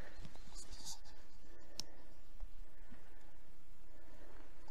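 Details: Only low rumbling and scattered clicks and handling noises are heard, with no clear animal voice. Nothing stands out as a call or song.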